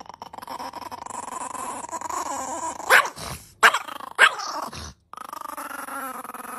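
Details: Angry puppy growling for food: a steady whiny growl, broken by three sharp yaps around the middle and a brief silence, then the droning growl resumes.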